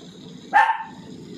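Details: Pomeranian puppy giving one short, sharp, high-pitched bark midway through, set against a low steady background hum.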